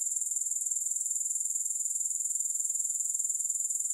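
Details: Grasshoppers make a steady, very high, shrill buzz that pulses evenly about four times a second, with no music or other sounds.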